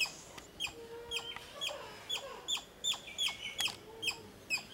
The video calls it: Squirrel sounds video